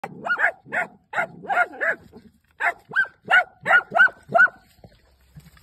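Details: Dachshunds catching their first groundhog bark in rapid, excited bursts, several sharp yelps about every half second.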